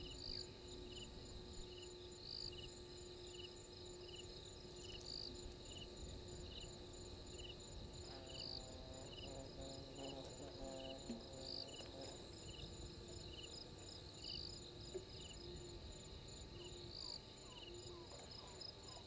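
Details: Crickets at Gowrie dam waterhole, Djuma Game Reserve, Sabi Sand Wildtuin, South Africa, 03:44 on 12/04/21: steady high pulsed chirping in two bands repeating through the night, with a brief low harmonic croaking burst midway and faint background hiss.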